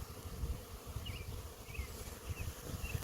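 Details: Honey bee swarm from an apiary, settling on a branch with many bees still in the air: a steady droning hum holds one pitch throughout, under low rumbling wind gusts, with a few faint high chirps passing over.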